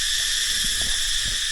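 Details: Cicadas in a Thai dry dipterocarp forest that has not yet burned fill the air with a loud, unbroken, shrill buzzing drone, heard during firebreak work.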